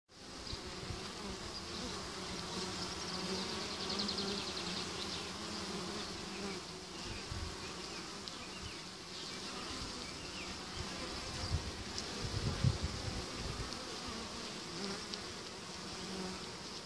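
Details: Honeybees returning to their hive with spring pollen on 28 March, a dense continuous low hum of many wings with bright high hiss, steady throughout with a few louder close passes.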